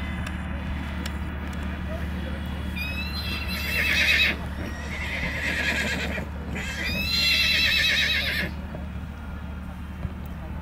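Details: Young Black Forest draft mare foal shown at the Sankt Märgen foal show, August 2021; two loud, shrill, quavering whinnies, each over a second long and separated by a pause, above steady crowd murmur and low hum.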